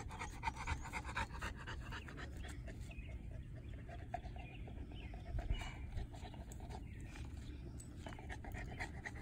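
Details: Three-year-old female North American Mastiff Monsterpiece Strawberry, a foundation dog of the breed, April 2019: rapid breathy panting in steady bursts, louder near the start and middle, with a low background hum throughout.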